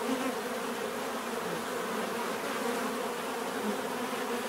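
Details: Many bees hum together in a dense, even drone, short passage of steady wing buzzing with slight swells.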